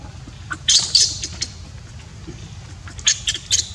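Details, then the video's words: Neglected baby monkey whose mother will not look after it gives piercing high squeaks in two clusters, a few rapid yelps each, separated by a quieter pause with faint low noise. "Poor baby monkey cries when Mom Monkey does not want to take care."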